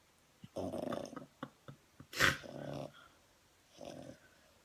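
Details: French Bulldog snoring and snuffling, with irregular rasping breaths, short sniffs and one sharp louder snort in the middle.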